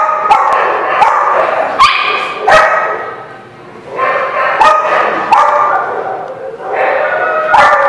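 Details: Dogs barking at a lot on March 13, 2017. Sharp, harsh barks come in uneven bursts every second or so, with a quieter lull partway through before the barking picks up again.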